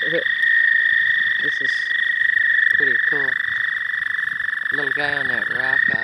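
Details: Early-spring frogs calling at a pond at night, many present; short harsh harmonic croaks in scattered clusters, building near the end, with a constant high-pitched hum and faint human voices.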